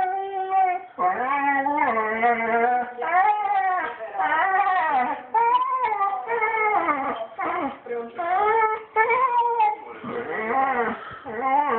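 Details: Lonely dog Banjo, whose owners are away in Switzerland, whines and sobs in a small room; a steady run of short, quavering, harmonic cries, each bending up then down, following one another with barely a gap.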